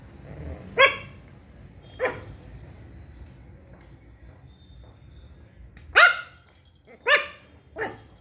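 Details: Shih Tzu puppy barking for the first time: five short, sharp, high-pitched yaps, two spaced about a second apart, then a quicker cluster of three near the end, with quiet room noise between.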